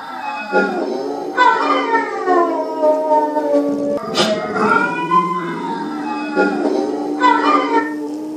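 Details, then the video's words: Pit bull named Boo howling in long, overlapping harmonic tones that slide downward, with swells repeating about every second and a sharper rising note near the middle; the sound stays steady throughout. "Howling pit bull Boo"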